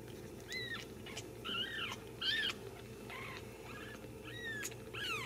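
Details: Young Ragdoll kittens from a central Kansas home cattery, raised without cages, mew repeatedly: short high-pitched arched cries, some rising then falling, several overlapping in quick succession over a low constant room hum.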